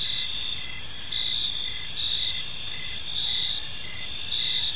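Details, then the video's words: Evening chorus of crickets in a quiet park, high and shrill, with overlapping continuous trills and short pulsed chirps repeating roughly once a second against a faint low background hum. "Park Serenade: Cricket Sounds in a Peaceful Park | Evening Ambience"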